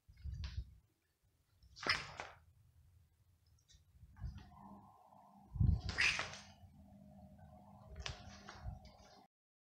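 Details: Pet kittens and cats filmed at home: a few short, strained meow-like cries stand out near two and six seconds, separated by soft thumps, a low steady hum and quiet stretches.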